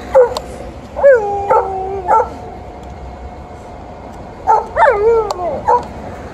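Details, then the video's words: A female Alaskan Malamute in heat grows vocal and angry at a male Golden Retriever at the close of a morning walk. Rising, wavering whines and yowls come in two bursts, separated by a quiet pause. "Very vocal end of a morning walk with Alaskan Malamute and Golden Retriever"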